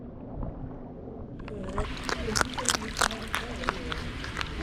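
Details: A rescued sea otter pup crunches through clams, oysters and mussels with sharp, irregular cracks and snaps while eating shellfish.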